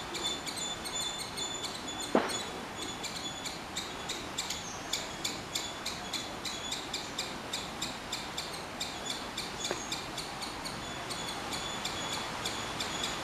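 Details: Squirrel calling with a steady run of sharp, high chipping notes, several per second and sustained throughout, over a faint background hiss and two isolated louder clicks.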